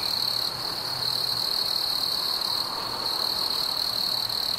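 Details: Crickets chirping on a warm summer evening: one steady, high, unbroken trill with faint overtones and no other clear sounds.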